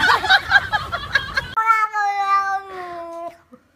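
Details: Cat from a compilation of funny cats and kittens, giving one long, steady, tonal meow lasting nearly two seconds and fading at the end, after a burst of noisy, chattering, speech-like sound.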